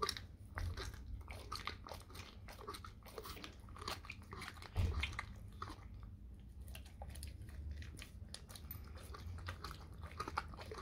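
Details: Dog chewing raw cow tongue in a small room: crunching bites and moist smacking in quick irregular bursts, a steady low hum underneath.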